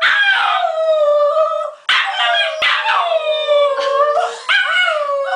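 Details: A singing Border Terrier at play with its owner produces long drawn-out howls that slide gently downward, with two brief breaks between phrases, loud and sustained throughout.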